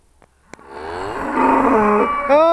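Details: Trained Charolais cows recorded in 2017 while their owner calls them over; after a short click, one long, loud, harmonic moo swells and holds steady for over a second, then ends with a brief upward-bending tail.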